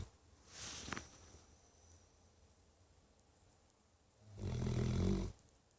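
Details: Pet dog named Thunder snoring like an old man: one loud, deep, rattling snore swells for about a second near the end, after a fainter breathy rasp early on, over a quiet room.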